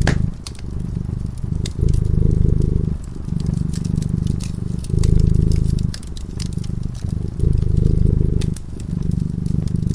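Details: A cat dozing by a warm fireplace purrs in rhythmic low rumbles. Loud blocks of about one and a half seconds alternate with softer gaps, while the fire crackles and snaps continuously.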